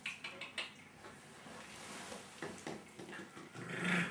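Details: Jack Russell Terrier puppies aged five and a half weeks, indoors: soft rough growling and small whimpering squeaks in short bursts, ending with a louder, higher whine near the close, over steady room hiss.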